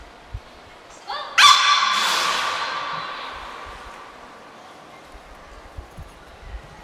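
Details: Beluga named Niko during a training session at Port of Nagoya Public Aquarium, 25 February 2024; a brief rising, harmonic squeal near the start, then a broad hissing burst that fades over about two seconds into quiet.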